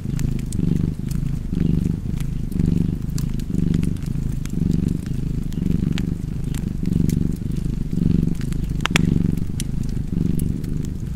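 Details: Continuous deep purring of a cat, throbbing in even breath-paced pulses, with frequent sharp fire crackles from a nearby fireplace.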